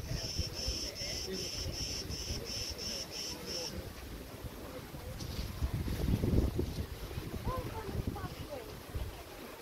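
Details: High, regular cricket chirps from Preveli Beach, Crete, in August 2020, pulsing about twice a second before fading out, then wind gusting through tree branches and rustling leaves takes over.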